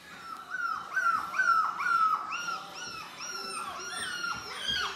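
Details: Four-week-old British Labrador Retriever puppies, part of a litter of seven black pups, whining together: overlapping high, falling whimpers repeated roughly twice a second, several voices at once.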